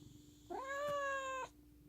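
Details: Affectionate pet cat giving one clear, drawn-out meow lasting about a second, rising at the start then holding level, over a steady low electrical hum.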